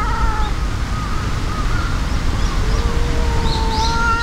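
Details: Two cats fighting, a furious white-and-brown tabby facing a brown tabby: long, drawn-out, wavering yowls, one sliding slowly lower near the end, over a steady low rumble of background noise with faint high chirps.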